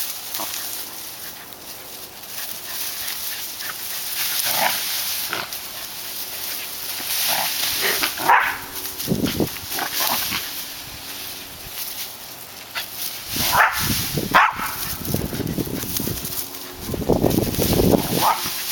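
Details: Tails the dog, excited by his favorite bush in August 2010, gives short harsh barks in scattered bursts, several close together near the end, over rustling and outdoor background noise.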